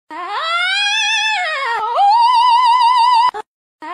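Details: Alpaca (Vicugna pacos), call.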